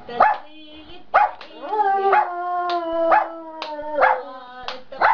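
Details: Giant panda singing leisurely in the afternoon while in a good mood: long, level, humming tones with rich overtones, each one cut off by short snapping clicks about once a second.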